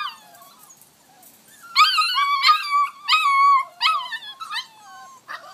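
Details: Whining from a six-week-old Vizsla puppy, Rascal, clambering over an X pen; soft thin whimpers open, then a string of louder wavering cries, several per second, tapering off at the end.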